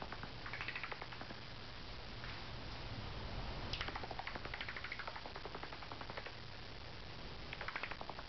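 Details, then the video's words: An angry bat, unseen and hidden in the rafters of a carport at night, gives bursts of short squeaky chirps in loose clusters, with quiet pauses between them over a steady low background hum. "Angry Bat In My Carport"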